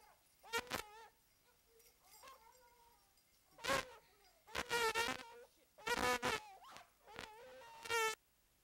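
A hound gives short, ringing, harmonic barks in irregular bursts while hunting a mountain lion.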